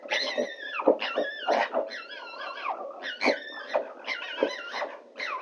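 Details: Two female foxes give repeated whining, wavering cries with sliding pitch on a noisy night, calling for a male as the 2024 mating calls begin.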